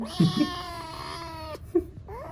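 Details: Playful kitten gives one long, drawn-out mew, steady and slightly wavering, that breaks off sharply, followed by a short rising squeak; a few low human voice murmurs at the start.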